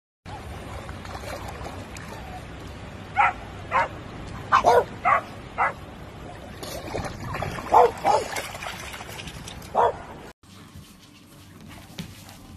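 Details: French Bulldog puppy giving a series of short, sharp barks in bursts, some doubled, over a faint steady hum in the background.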